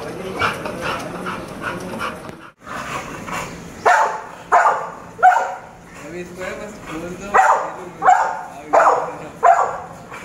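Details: American Bully dog barking in short, harmonic bursts, roughly every 0.7 seconds in the second half, after a stretch of quieter chatter-like sound.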